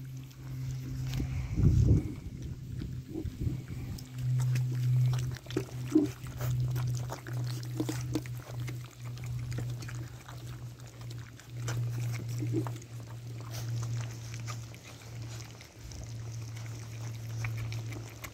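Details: Young Labrador Retriever puppies at mealtime, growing noisier as food arrives: a loud burst of low grunting around two seconds, followed by continued muffled snuffling and grunts over a constant low hum.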